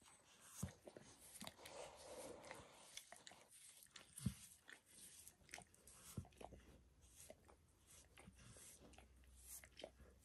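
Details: Max, a pet dog bathing himself and licking his paws and a human foot's arch; sparse wet laps and sharp tongue smacks come a few seconds apart, with quieter rustling between them.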